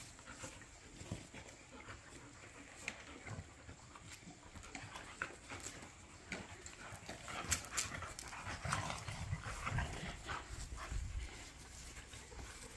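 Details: Dogs at play in a back yard, three pit bulls and a Malinois roughhousing: low rumbling growls swell toward the end amid scuffling, panting and sharp thumps of movement.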